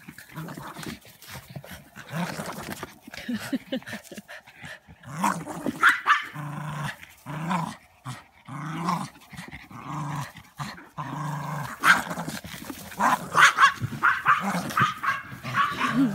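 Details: Border Terrier dog at play, growling in a run of short, rough, low rumbles repeated about once a second. The growls grow busier and louder toward the end. Laughter and some music are heard in the background.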